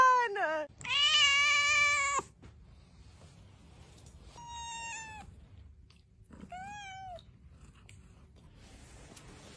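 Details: Domestic cat giving four meows: a short falling one, a long loud drawn-out wail, then two shorter harmonic meows spaced a couple of seconds apart, with a soft low background hum.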